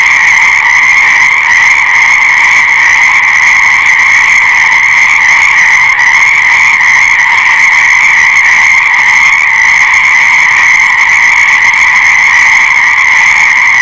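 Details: Many frogs croaking at once, blended into a constant shrill, ringing hum that stays level from start to finish, with a single tiny tick about midway.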